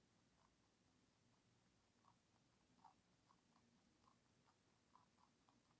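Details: Bunny ZZ, a pet lionhead and Dutch mixed-breed rabbit, eating celery indoors: soft crunchy bites repeating about every half second to second over a quiet room hiss.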